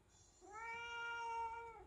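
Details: One of two house cats, Nico or Latte, indoors as the newborn baby comes home: a single long, steady meow lasting over a second, smooth and even in pitch, with a soft quiet room behind it.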